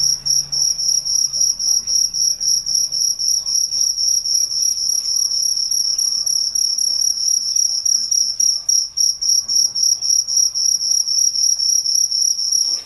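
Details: Crickets chirping at night in a relaxing nature ambience: a high, steady trilling pulse repeated about four times per second, with a fainter upper band, continuing without pause over a quiet background.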